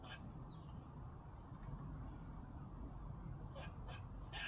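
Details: A squirrel heard from a garden where washing was being hung out gives short, harsh, raspy bursts, at first mistaken for a strange bird, over a steady low rumble.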